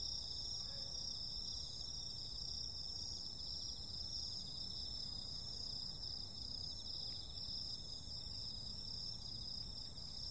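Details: Insects calling on a summer night: several steady, high, shrill trilling bands ring on without pause through the whole stretch, layered at different pitches over a low, even background rumble.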